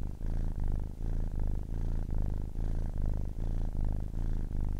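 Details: Low continuous purr from a ten-week-old kitten, rhythmic buzzing swells repeating a little faster than once per second, strong deep vibration with short soft dips marking each breath.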